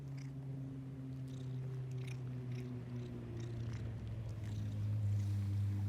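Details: Ginger and white stray female cat, happy on seeing people after being fed; continuous deep purr with layered low humming tones and pulsing rhythm, a few soft clicks and rustles over it.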